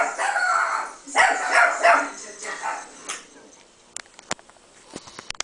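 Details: Chihuahua, a female indoor pet, barking back at a speaker playing a recording of her own barking, mistaking it for another dog; a few harsh, broad yaps in the first three seconds, then quiet with sharp clicks and taps.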